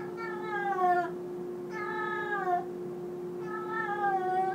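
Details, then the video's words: Domestic cat making loud noises indoors, three drawn-out meows about a second long, each sliding slightly downward at the end, with a constant background hum. "LOUD CAT NOISES"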